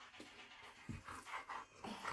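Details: Panting Akita at play with a small fox in Israel: short breathy huffs about every fifth of a second, some with a low throaty edge, recorded indoors with quiet surroundings.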